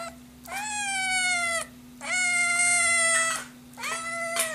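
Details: Hungry Scottish Fold kitten giving three long, loud meows, each about a second long, steady and slightly falling at the end, separated by short pauses; a low steady hum runs underneath.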